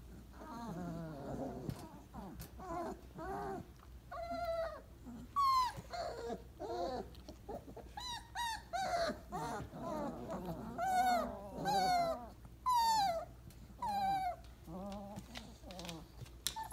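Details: Weimaraner puppies, 28 days old, settling into a pile for a nap after breakfast, give a chorus of high, wavering whimpers and squeals, many overlapping voices rising and falling about once a second, with soft grunts between.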